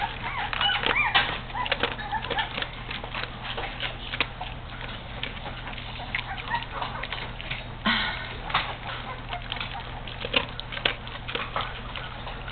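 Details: Great Dane puppies, 18 days old, from Juno's litter of twelve. Some are already interested in food. High, wavering whimpers and squeals bend up and down over steady low hum and scattered clicks and rustling.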